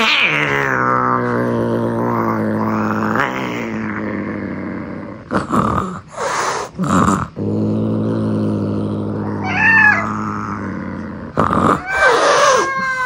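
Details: A kitten, unhappy at another cat trying to play with it, growls in a long, low, wavering drone broken by sharp breathy hisses.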